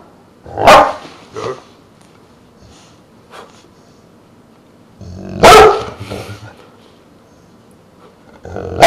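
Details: Pet dog Truus, three quarters Dogue de Bordeaux and one quarter Rottweiler, lets out widely spaced deep barks: one strong bark with a softer follow-up, a long pause, another powerful bark, and a final bark starting at the end.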